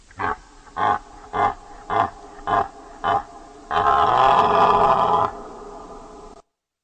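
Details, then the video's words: A deer grunts in a steady series of seven short bursts about half a second apart, then breaks into a long, rough, drawn-out roar lasting nearly two seconds before silence. "Deer Sound Effect"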